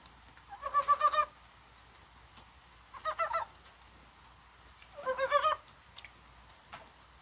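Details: Korean brown frogs calling in rain on a spring-like 21 January, probably spawning; three short chuckling bursts of rapid, harmonic-rich pulses about two seconds apart, with quiet gaps between.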